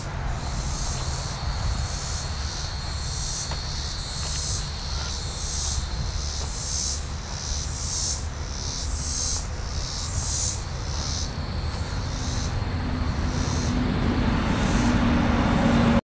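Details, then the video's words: Cicadas at an Arkansas I-40 rest area, milepost 68, on 1 July 2010 between 6:01 and 6:21 PM, sing a high, buzzy song pulsing about every second over heavy traffic rumble. "thelope.com - AR rest area cicada sounds 10-07-01 061.MOV"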